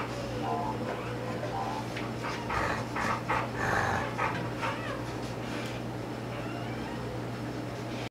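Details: A Rottweiler mother gives short, harsh warning sounds to keep the male, the puppies' sire, away from her newborn puppies, which are only hours old.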